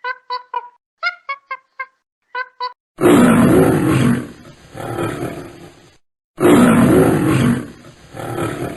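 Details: Lion roaring: two long, deep, rough roars that each fade out over about three seconds, with a silent gap between them. They follow a string of short, clipped harmonic calls from another animal.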